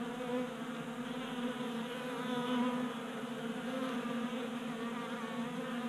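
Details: Honey bees feeding from a 3D-printed feeder indoors in a Colorado garage during unseasonable January warmth. A constant, full droning buzz of many wings, low and harmonic-rich, with gentle swells in loudness.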